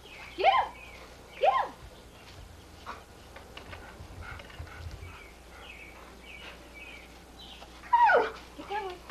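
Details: Sadie the Pit Bull chasing bubbles in 1983 footage; two quick, high yips open the recording, soft voices murmur in the middle, and a louder yip cluster follows near the end.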